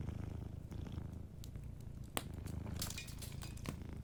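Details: Sleeping domestic cat purring softly: a low, steady rumbling purr in rhythmic in-and-out pulses, with sharp pops and crackles from a fireplace scattered throughout.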